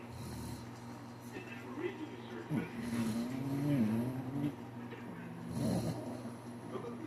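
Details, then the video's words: Sleeping Shih Tzu snores in raspy, breathy bursts a few seconds apart, with a drawn-out wavering whine-like tone in between, all over a constant low household hum. "adorable shih Tzu snores!!"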